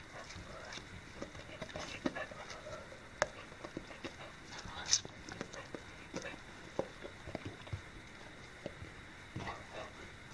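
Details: An English Springer Spaniel eats watermelon on 11 August 2015, chewing noisily with wet crunching and smacking clicks scattered irregularly throughout.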